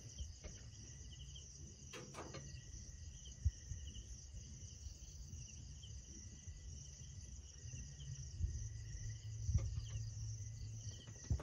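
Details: Crickets at night around a lone lit hut on a cold mountaintop in the Philippines: a continuous, steady high-pitched trill in several layered bands, with scattered faint clicks and a low rumbling background.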